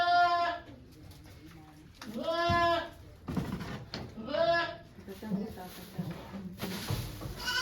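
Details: Goat on a farm in Japan during birth of two kids, 3 May 2023, volunteers present; three drawn-out, quavering bleats a couple of seconds apart, with soft human speech and shuffling underneath.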